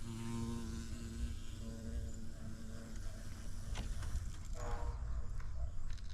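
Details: Bumblebee buzzing at a yellow orchid outdoors: a low hum carries for about three seconds and then fades, leaving rustling, scraping outdoor noise and a short bird note.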